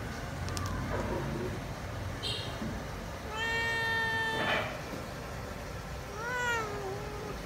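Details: Wild, people-shy cat meows while waiting for food: after Vietnamese speech and a few clicks come two clear meows, one long and level, the last bending up then down, with a rustling sound between them.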